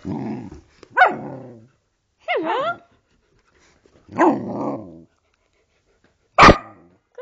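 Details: Samoyed puppy, a female, 'talking' back to her owner who greets her with 'hello': a series of drawn-out, wavering howl-like yowls with rising and falling pitch, a short sharp yip near the end, the owner's voice between.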